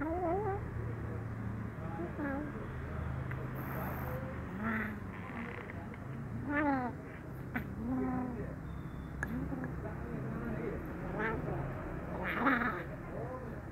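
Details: Brown kitten, happy but wary as it is given fish sausage, gives several short rising-falling meows scattered through the clip. A steady low hum and human talk run underneath.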